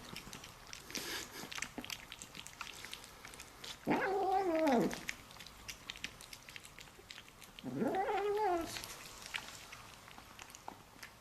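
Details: Domestic cat making odd vocal sounds while eating indoors: two drawn-out, wavering moaning calls of about a second each, the second rising and falling, with soft chewing clicks and smacking between them.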